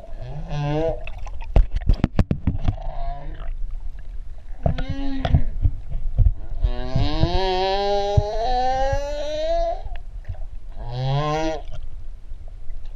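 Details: Humpback whales, three of them, whining at Ha'apai, Tonga: a string of harmonic, wavering tones, several short rising calls, then one long rising whine of about three seconds, then a final short moan, with sharp clicks and low water rumble underneath.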